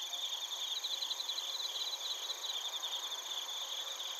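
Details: Crickets and bell crickets singing in Narita, Chiba, Japan, recorded on a TASCAM Portacapture X8: crisp high chirps in quick trains, pausing briefly and resuming, layered over a steady ringing insect chorus.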